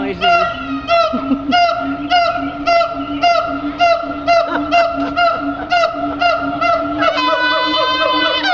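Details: At the Henry Doorly Zoo a siamang performs loud, fast, evenly repeated harmonic barks over a sustained low hum, ending in a long, higher-pitched drawn-out wail.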